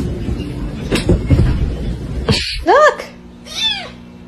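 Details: Pet cats from a humorous compilation: after a stretch of talking and background music, two clear meows follow, the first loud and arching upward then down, the second softer and falling.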